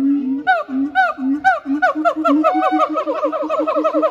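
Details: Siamang duet by Heart and Brave, Chiba Zoological Park, 12 November 2022. Separate low hoots with falling whoops give way after two seconds to rapid, evenly repeated booming barks that build in pace.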